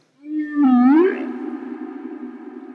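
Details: A humpback whale in the open ocean moans, a low tonal note that dips, then swoops up and fades into a hum. It is part of the long, complex humpback song, possibly sung to attract females, though this is debated.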